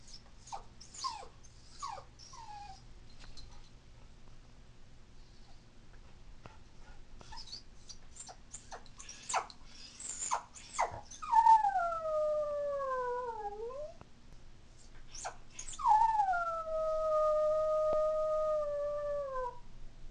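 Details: Toy Poodle Marky, a female born in 2003, whimpers in short yips, then gives two long, falling howls, crying in separation distress when her family leaves the house.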